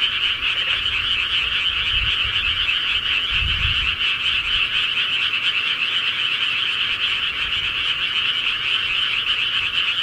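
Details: A night chorus of countryside frogs: thick, steady pulsing croaks fill the whole stretch, while two soft low thumps break through briefly near the start of the chorus.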